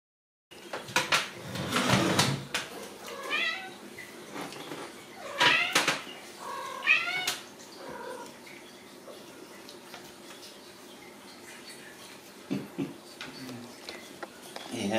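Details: Ragdoll kittens raised in a home cattery in central Kansas, without cages. High, thin harmonic mews come in short bursts around two, five and seven seconds, with quieter rustling, handling noise and soft indoor sounds between them.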